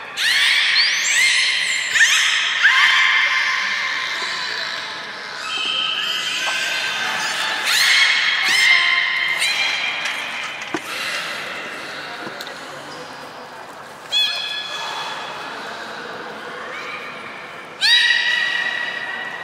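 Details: Belugas Gray, Nana and Niko in training at Port of Nagoya Public Aquarium, Japan, 1 January 2019, after the 16:00 public session. A busy stretch of high chirping whistles and upward sweeps, quieting midway, then returning with sudden bursts.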